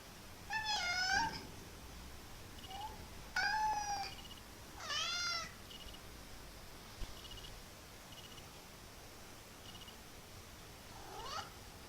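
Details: Playful kitten making unusual funny sounds: a run of three bright meows, some rising then falling with a wavering edge, then quiet with faint high ticks, and a final short rising mew.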